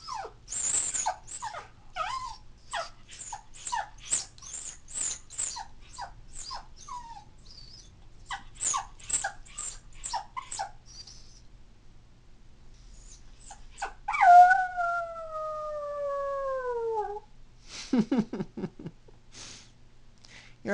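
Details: Female toy poodle born in 2003, crying at home when her family is away. About nine seconds of rapid, short whimpering yips come first, then one falling, tonal howl lasting around three seconds, then a few clipped cries.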